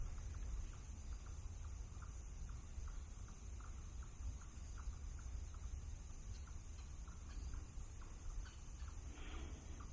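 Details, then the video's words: Several chipmunks in an Illinois nature preserve woodland, one about 150 feet away, give steady, mid-pitched chips about two a second, running without pause over heavy low wind and woodland noise; a blue jay is nearby. "What I'm hoping is you can hear all of the chipmunks."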